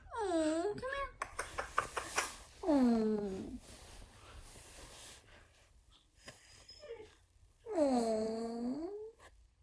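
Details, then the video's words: Siberian Husky left alone at home, howling sadly in a small room. Three drawn-out wails swoop downward, separated by a burst of rapid scratching or tapping and quieter stretches of low background noise. "Home Alone (Husky Version) *SAD*"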